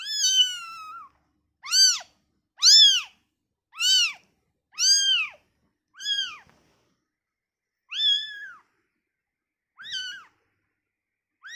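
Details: Just-born kitten taken away from its mother cries repeatedly, loud harmonic-rich arched mews coming roughly every second, then fading and spacing out toward the end, with quiet gaps between.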